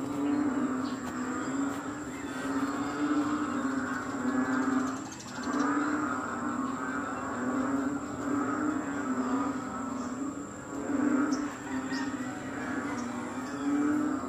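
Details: Frogs calling loudly in Kadaruhan during rain at 6 am on May 22, 2022: a dense, continuous chorus of overlapping low croaks and trills, with a steady mid-pitched drone throughout.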